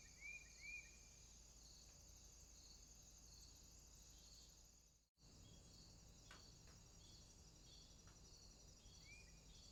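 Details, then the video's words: Crickets calling at night in a swamp: a steady, high, shimmering buzz of many insects with soft regular pulsing, two brief rising chirps near the start, and a short moment of silence midway. "Crickets, swamp sounds at night"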